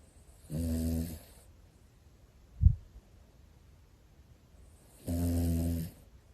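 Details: Snoring from one of a pair of sleeping Pomeranian brothers: two long, rasping, low snores about four and a half seconds apart, with a single short click between them in a quiet room.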